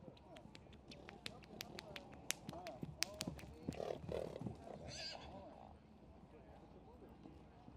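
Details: Friesian horse whinnying in the ring at a studbook inspection in Boxtel on 21 September 2024. A wavering, harmonic neigh rises mid-clip over a judge's steady Dutch commentary, with scattered hoof clatter and clicks.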